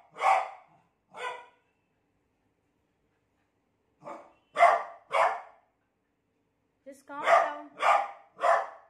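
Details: Scared of a new cot, a beagle lets out irregular barks: a pair, a long silence, a trio, then a closing series of four, with a brief human voice mixed in near the end.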